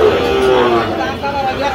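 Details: Sahiwal bull calves at a busy cattle market in Bangladesh, 3 October 2025, being sold to a Dhaka farmer. A drawn-out, low, harmonic moo sags slightly in pitch, with bargaining voices and crowd chatter all around.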